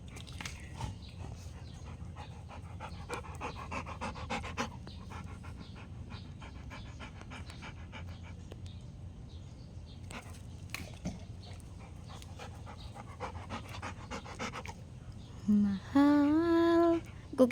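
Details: A Rottweiler at play, throwing and catching a ball during a fetch game, pants in quick, steady breaths for about fifteen seconds, roughly one or two per second; a human voice rises briefly near the end.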